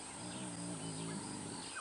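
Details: At a cloudy sunrise on a 5 AM safari drive in a South African game reserve on 12 January 2017, a spotted hyena gives a low, droning growl for about a second, possibly sensing another predator or a rival clan, tails cocked.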